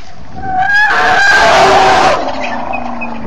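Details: A large herd of African elephants with many young, on safari on 29 September 2016 in the afternoon; a loud, brassy trumpeting blast lasting over a second rises and falls, followed by a lower tonal rumble.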